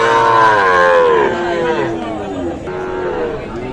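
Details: Cattle lowing at the Aftabganj cattle market in Nawabganj, Dinajpur, Bangladesh, where Sahiwal bull calves are sold; a drawn-out, wavering moo with falling pitch, followed by a softer second low, amid market chatter.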